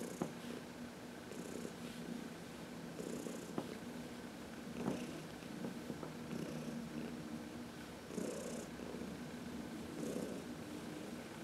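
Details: Heidi, a senior cat once arthritic and now thriving, purrs under a massage in sunlight on March 19, 2021; a low even rumble with breathy pulses every couple of seconds and a few faint clicks.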